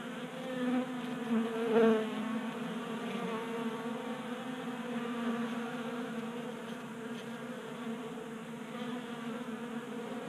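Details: Honey bees, active in a Colorado garage during unseasonable January warmth, feasting at a 3D printed feeder; continuous humming buzz, briefly swelling louder near the start as a bee passes close, then settling into an even drone.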